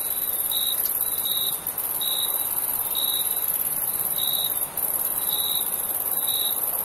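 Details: Crickets chirping at night in summer: short, bright, even-pitched chirps repeated at a brisk rhythm, set against a constant shrill high insect hiss with no other noises.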